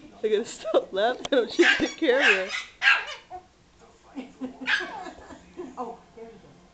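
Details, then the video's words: Yorkshire Terrier Frankie, mad at a ball that hit him, yaps in quick bursts of short high barks while a person laughs and talks over him. "Frankie the yorkie (mad at ball)"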